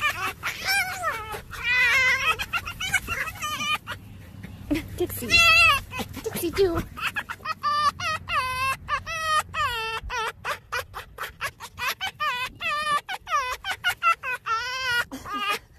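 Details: Red fox giving its laughing call: high, nasal, harmonic yelps, first in a few drawn-out bouts, then a long, fast staccato series of short cackling notes, steady hum underneath.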